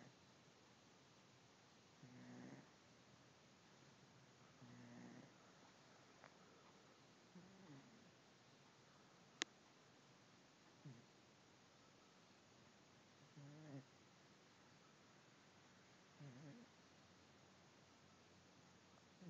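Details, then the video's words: Doyle, a fat pet cat, snoring: soft, low, rasping breaths that swell and fade about every three seconds in a quiet room, with one sharp click midway. "Snoring cat"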